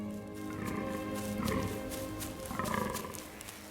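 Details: In autumn in a forest near Lake Stechlin, Brandenburg, a fallow deer stag gives deep, rasping rutting mating groans in two bursts over soft background music.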